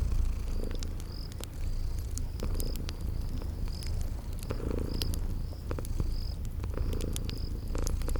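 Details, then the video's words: Sleeping kitties give a rumbling, pulsing purr with gentle swells, accompanied by fireplace snaps and steady high-pitched insect chirps. "Sleeping Purring Kitties"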